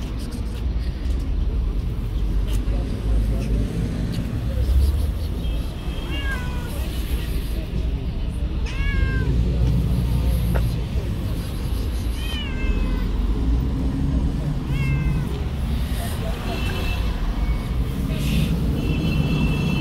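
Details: Long-haired tabby cat, a stray living on the street, gives about five short arched meows spaced two to three seconds apart, heard over steady low traffic rumble and faint voices.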